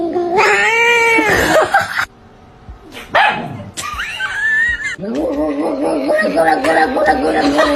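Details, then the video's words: Cute domestic cat meowing repeatedly: long, bending meows with wavering pitch, some harsh and yowling, separated by brief pauses, with people talking and laughing in the background. "Cat Sounds Compilation 🐱 Cute and Funny Cat Sounds"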